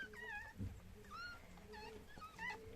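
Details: Tiny finger-sized Chihuahua puppies, newborn after the birth indoors: short, soft whimpering squeaks, some dipping then flattening, spaced unevenly over about three seconds, over a low room hum with a brief thump.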